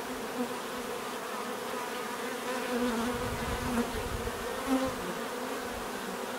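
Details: Bees buzzing naturally, a steady droning hum with several close passes heard as brief louder rising and falling whines near the third and fifth seconds.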